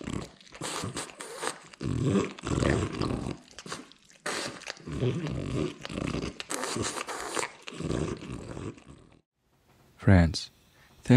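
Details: An old French bulldog named Oleg indoors, giving a run of low, rough growling grunts in bursts of about a second each, with short pauses between, then a brief silence and a final sharp burst.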